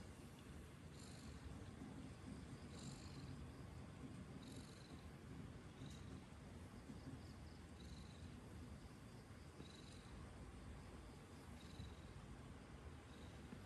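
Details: Domestic cat purring continuously, a deep buzzing rumble, with soft breathy swells about every two seconds marking each breath cycle.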